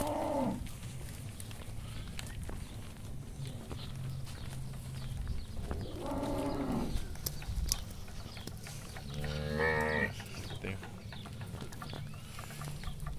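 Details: Pregnant heifers, six to seven months along, on a farm in Ceará, Brazil: several drawn-out, harmonic moos, the loudest near the start, around six seconds and near ten seconds, over a low engine-like hum and background clatter.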